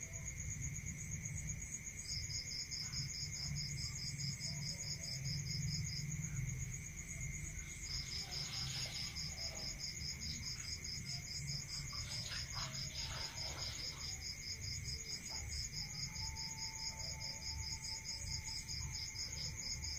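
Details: Crickets calling at night in the countryside: continuous high ringing trill plus a long run of rapid beaded pulses starting after a brief pause, steady lower tone and quiet background rumble throughout.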